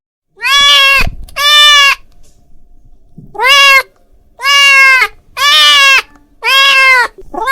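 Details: Domestic cat calling his friend: loud, drawn-out harmonic meows, five in about seven seconds, each nearly a second long with a steady pitch, separated by short quiet gaps.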